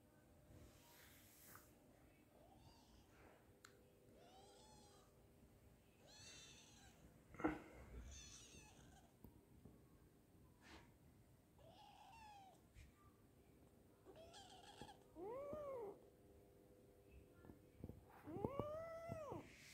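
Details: Kitten indoors at home making a scattering of short, soft mews early on, then two louder, arched meows near the end, with faint rustles and a sharp knock midway.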